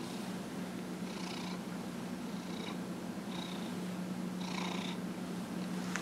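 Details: Domestic cat, a 15-and-a-half-year-old male, purring while being massaged; a steady low continuous hum runs throughout, with a few brief higher rustling bursts over it.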